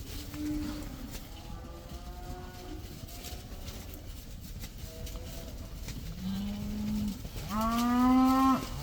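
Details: Cattle going outside for the first time, a herd of about 80 with one black animal: faint distant lowing at first over steady background noise, then two louder moos, the last rising and rich in harmonics.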